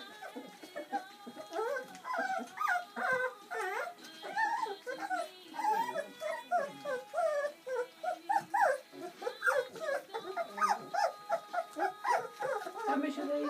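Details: Seven Bernese Mountain Dog puppies, born on Valentine's Day 2013, at their first ever feed on Mothering Sunday: a busy chorus of high, wavering squeals and whimpers, overlapping and rising and falling, with bursts coming every second or so.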